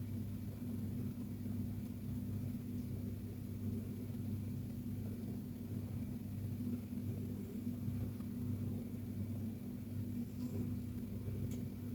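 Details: Steady low rumbling hum with constant droning bands and faint background noise, no animal sound.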